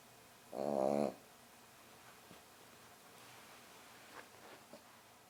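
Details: A young rescue French Bulldog puppy napping gives one rough, rumbling snore, then the room falls quiet apart from faint rustles.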